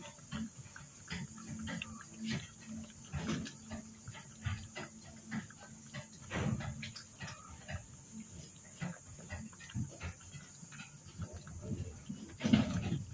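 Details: Blind raccoon in Anapa making short snuffling grunts and chuffs at irregular intervals, with a louder pig-like grunt near the end, over a faint steady hum and soft handling noises.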